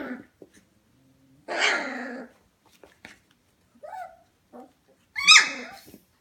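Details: Twenty-five-day-old F1 Goldendoodle puppies at home around 11pm: a raspy yelping outburst, scattered small squeaks, and a final high squealing yelp amid near silence.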